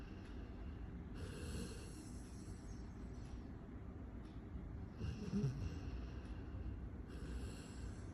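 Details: Golden Retriever puppy snoring while napping: breathy, rasping snores in bursts about every three seconds, each lasting over a second, over a dull low rumble.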